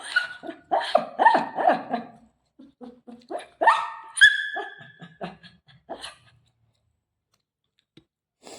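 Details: Shih Tzu dog at home meeting its owner's mother, giving a rapid string of sharp, yappy barks in the first two seconds, then scattered single barks and whines, with people laughing nearby.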